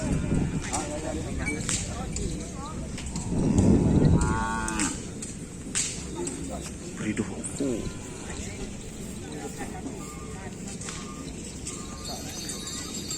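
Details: Cattle of the host team Griduh Onggu at a kerapan sapi bull race on the Asemanis field; a single low, loud moo rises near the middle over steady crowd chatter and shouts.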